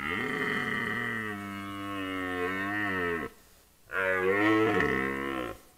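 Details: Red deer during the rut: a curious young stag keeps its distance from an older bull, which ignores it and now and then chases it off. Two long, rich bellows, the first about three seconds, then a short pause and a second rising-falling call.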